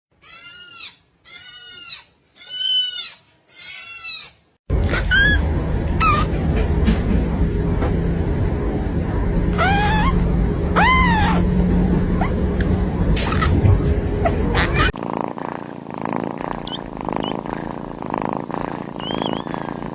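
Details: Kitten meowing in a string of four high, arching mewls, then further thin meows over a loud, steady background hum, ending in a music-like passage.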